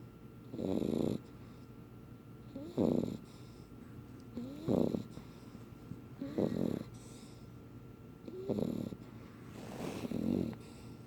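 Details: Red tick beagle pup asleep, snoring in rough, breathy bursts about every two seconds, six snores in all, each a short low rasp with a faint whistling edge on some breaths, in a quiet room.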